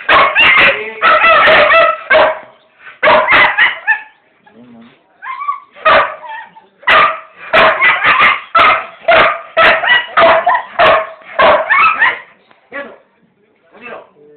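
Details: Pit bull delivering long runs of loud, harsh barks, fast and irregular, sometimes several in quick succession, with brief pauses holding soft whines and a few faint closing yelps.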